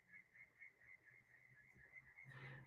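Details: Crickets chirp steadily in a high pulsing trill several times a second, heard through an open window from a large park with a man-made lake across the road, at night in Sydney, Australia, 15 March.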